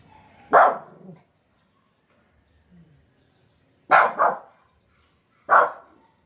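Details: Pet dog, one of two puppies shown barking wildly, possibly Pomeranian: three sharp, harsh barks, the first alone and then a quick double bark and a single bark about 1.5 seconds apart, in a quiet room.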